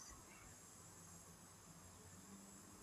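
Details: Cicadas call at the Nguma waterhole in Etosha, Namibia, on 16 November 2024, signalling the dry season, with a thin, high, unbroken shimmer over a low background rumble as an elephant bull feeds nearby.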